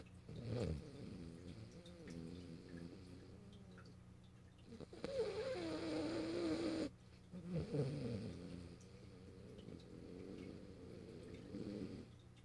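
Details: Morio, a French Bulldog, asleep on the owner's lap by a computer on 8 March 2012, snores in rough, throaty, drawn-out breaths with one loud buzzing stretch in the middle and softer rasping snores before and after.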